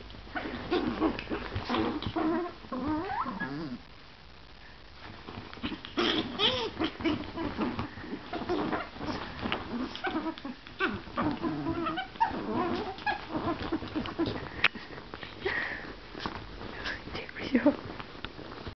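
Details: Chihuahua puppies play-fighting in bed: continuous small growls, yips and whiny squeaks overlapping in busy bursts, with a brief quieter pause early on and scuffling noise throughout.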